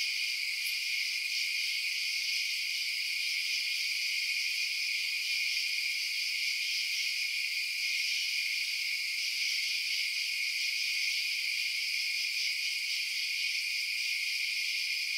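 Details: Continuous night chorus of chirping crickets, a high buzzing shimmer of many overlapping trills, with a tiny click near the start.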